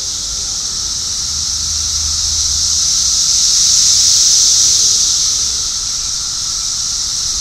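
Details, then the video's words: A dense, steady electric buzz from many Brood X periodical cicadas in the eastern United States in summer, calling together and swelling and fading slightly; males call loudly to attract mates. "let's hear the loud buzzing sound of cicadas now"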